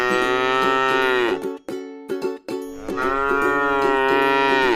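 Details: Tame cow eating grass in a rice field, giving two long harmonic moos that swell and fall away at the end, separated by a short pause, over steady plucked background music.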